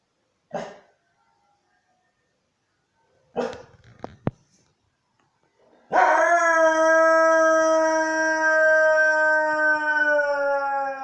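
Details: Siberian Husky howling in response to church bells: two short yelping bursts, then from about six seconds one long, steady, tonal howl that sags slightly in pitch and holds to the end.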